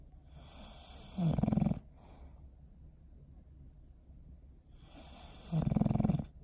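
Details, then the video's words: Sleeping dog Bowser, recorded December 21, 2019, gives two rattling snores about four seconds apart, each a short buzzing flutter after a soft breathy inhale, with quiet breathing between them indoors. "Sleepy Snoring Face"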